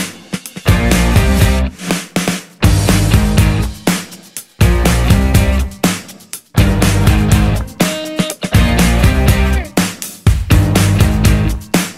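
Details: Loud driving rock music with heavy drums, bass and distorted guitar chords throughout, with no animal sound.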